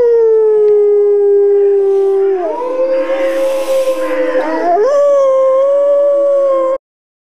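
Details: Gray wolf. A single wolf gives a drawn-out, tonal howl, gently falling at first before breaking into a wavering middle section. The voice then leaps up and holds a clear, steady note until it stops abruptly.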